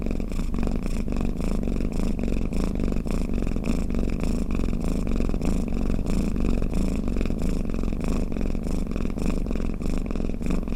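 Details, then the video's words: Drowsy domestic cat with a low buzzing purr-snore, evenly pulsed breaths repeating steadily, calm and continuous throughout. "เสียงแมวกรน เปิดให้แมวฟังเคลิ้มๆไปเลยค่ะ | Snoring Cat"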